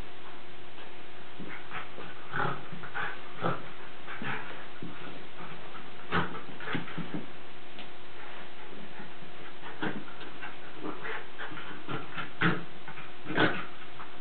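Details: Two or more Lakeland Terriers at play, possibly harmless play, trade quick gruff yips and growls in loose irregular runs, a few sharper peaks near the end, against low steady hum.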